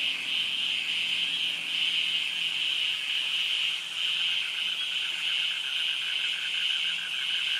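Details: Cicadas in jungle and mangrove forest at Krabi, Thailand keep up a continuous, piercing one-pitch buzz, the males' mating song, with a fainter rapidly pulsing cricket trill and low hum beneath.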